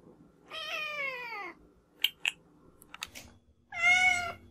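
Two long, harmonic meows from a domestic cat, the first sliding downward in pitch and the second steadier and higher. Between them come a few brief clicks and light tapping sounds indoors.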